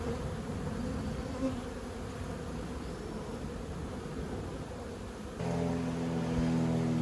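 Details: Honey bees swarming during removal of a long-established hive from a house wall, a thick low buzz for about five seconds before background music comes in over the hum.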